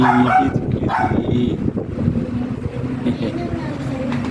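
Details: Eight-week-old Agouti line Siberian Husky puppies at the vet for their first 5-in-1 vaccination. They give short, high yips near the start and again around one second, with steady background talk and room noise.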